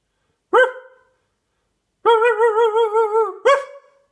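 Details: Dog barking loudly: a single sharp bark, a pause, then a drawn-out wavering yelp that ends in another abrupt bark.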